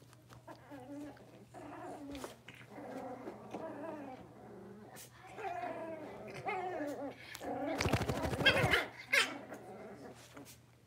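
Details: Blenheim Cavalier King Charles Spaniel puppies, a litter of five born at New Year's, in their puppy pen after moving to a bigger pen: repeated wavering whines and yips, with a steady low hum and a burst of rustling noise.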